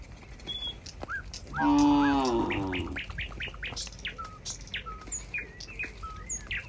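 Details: Cows walking neatly together in a group back to their pen on a farm: one loud, short, harmonic moo lasting about a second and a half, followed by many quick high bird chirps and whistles in the background.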